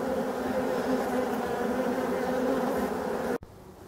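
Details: Black honey bees in an abandoned hive during restoration give a dense, steady humming buzz with low droning tones that holds evenly for over three seconds before cutting off abruptly; a few spoken French words come just before.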